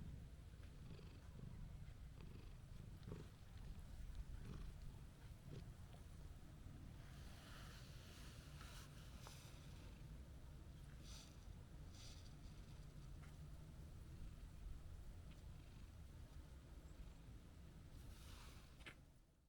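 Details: Long stretch of a calm orange-and-white stray cat purring while stroked outdoors; a constant deep vibrating rumble with scattered light rustles and brief faint higher noises.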